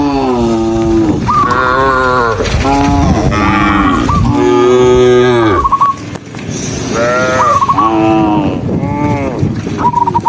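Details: Dozens of cows walking along a country road toward the barn moo loudly in overlapping, drawn-out calls with a rich harmonic tone.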